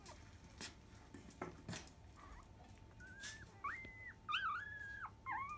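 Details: Five-day-old field-line Labrador Retriever puppy at 10 a.m. nursing time, mother biscuit. Soft clicks and rustles come first, then high squeaky whines, some rising and some falling, in the final three seconds. A faint steady tone runs underneath.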